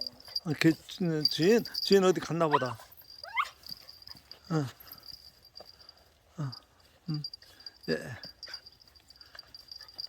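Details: Puppy recognising its former family after a month apart: a quick cluster of wavering whimpers, then scattered short falling yelps and whines spaced over several seconds, with low voices and outdoor background hum.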